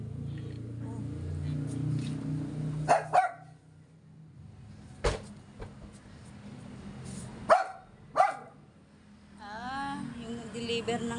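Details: Stressed Yorkshire Terrier reacting to a gas delivery man: a few sharp barks spaced several seconds apart, then a rising, whining yelp near the end, over steady low background hum and a person talking in Tagalog.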